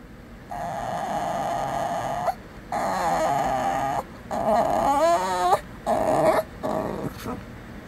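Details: Shih Tzu puppy grumbling and whining as if talking back to its owner indoors; four or five sustained nasal whines separated by short pauses, one bout wavering up and down, with faint human voices.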